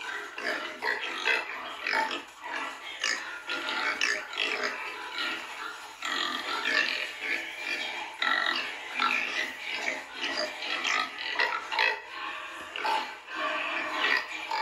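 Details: Pigs and piglets together produce continuous overlapping squeals and rough grunts, rising and falling in loudness with no real pause. The noisy, jostling chorus stays steady throughout.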